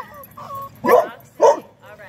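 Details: Dog giving two short, loud, rough barks about half a second apart, with a person's voice heard before and after.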